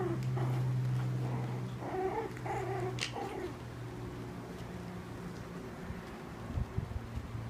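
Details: Four-week-old Cairn Terrier and Papillon cross puppies play-fighting. Short harmonic growling and whining bursts cluster around the middle, with one sharp yelp near the three-second mark, over a steady low electrical hum that fades after the scuffle.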